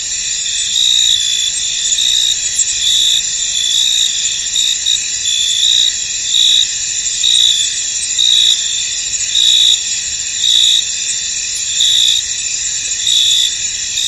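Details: Many crickets chirping in a fog-covered field: steady high-pitched buzzing trills layered together, with sharper pulsing chirps repeating close to once per second throughout.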